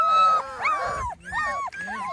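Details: Small Munsterlander puppies from the Gosch Kennels B3 litter, 2.5 weeks old and outside for the first time, giving overlapping high whining squeals and thin sliding whimpers from several pups at once.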